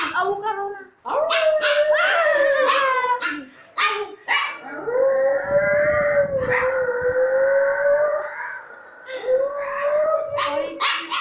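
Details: A young white piebald, woolly Siberian Husky howls in long, wavering tones broken by short yips and yodels.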